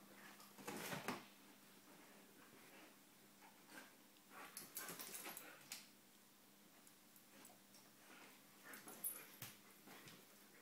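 An Alaskan Malamute hiccups, with short, sharp breathy jolts at irregular intervals over a faint indoor hum.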